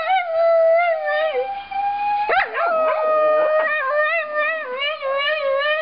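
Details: Male Shetland sheepdog howling indoors along with a recording of his own singing: long sustained wavering howls with vibrato, a sharp voice break mid-way, then overlapping rising and falling howls.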